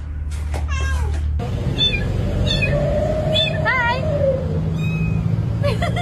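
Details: Domestic cat giving a series of short, rising-and-falling meows, several in quick succession, over a steady low hum, background noise and a faint musical tone.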